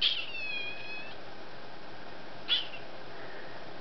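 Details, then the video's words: Female kitten Duck-a-roo screams at her owner indoors: a sharp, high, strained cry with a drawn-out tail, then after a pause of about two seconds a second brief piercing yelp, with the owner's voice around it. "My Kitten Talking, well Actually Screaming at Me"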